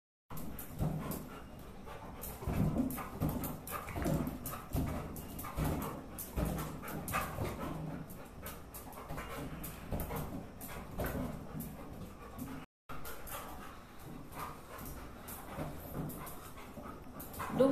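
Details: Duggu, a Labrador Retriever puppy, plays with a balloon for the first time at home during lockdown. Rapid, breathy panting bursts in a steady rhythm, with rustling and thumps of play and a short break near the middle.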